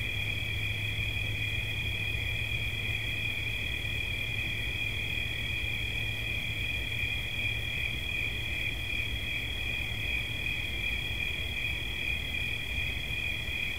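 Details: Cricket song offered for relaxation: a constant, piercing high trill with slight pulsing texture, paired with a weaker band above, over a steady low rumble.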